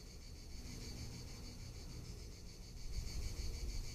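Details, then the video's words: Tuscan summer cicadas drone with a sustained, high, rasping buzz broken into quick rhythmic pulses, while low wind noise swells toward the end. "Cicada or Cigarra - Sounds of summer in Tuscany"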